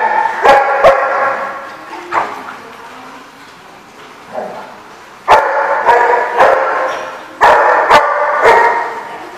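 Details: Dog barking at The Barking Lot, recorded 30 October 2015: sharp, loud barks come in bursts, a few scattered early and then two tight clusters of three or four, with quieter murmuring and room echo between them.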